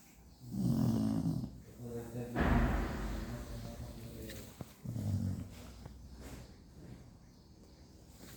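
A Cocker Spaniel snores in low, rumbling bursts with softer breaths between.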